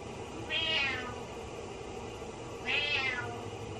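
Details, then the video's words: Indoor cat meowing sadly during its owner's shower: two similar high, wavering meows about two seconds apart over a steady hissing background. "Cat Meows Sadly While I'm In The Shower"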